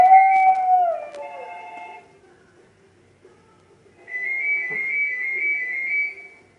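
A Maltese dog sings with a tonal, wavering howl that slides downward, answered by a steady whistle-like note.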